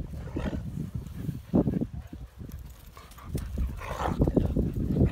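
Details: German Shepherd puppies at playtime give low, rough growls and short whiny yelps in scattered bursts.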